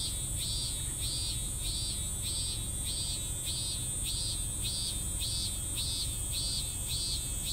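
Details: Regular pulsing cicada song that never quite completes: about thirteen arched, buzzy notes, evenly spaced around two per second, with a steady high insect drone and low rumbling noise underneath.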